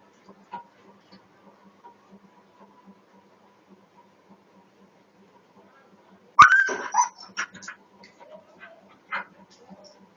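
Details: Pet dog reacting to a cat jumping over a wall: about six quiet seconds of faint ticking, then one sudden loud, sharp yelping bark, followed by a few shorter whining yelps that fade out.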